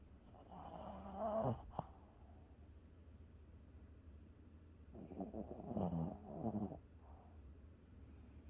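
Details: Pet dog asleep at home, snoring: two drawn-out, rasping snore breaths, one around the first second and a longer rumbling one about four seconds later, with quiet breathing between them in an otherwise still room.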